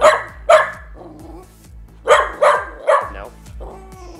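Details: Miniature Australian Shepherd named Calliope giving demand barks for a withheld treat during training; the trainer says no and gives no reward. Five sharp barks come in two bursts, with a low steady hum running underneath.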